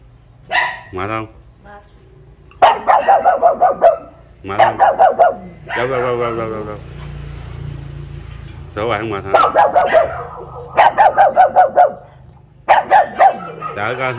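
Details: A pug, newly given and kept penned in front of the house while unused to its new home, barks in quick repeated bursts of sharp, high yaps at a teasing visitor, guarding the house.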